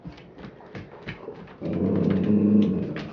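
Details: Excited female dog 'talking' to show what she wants: faint sounds and a person's questions at first, then a loud, drawn-out, low groaning grumble with steady harmonics for the last second and a half.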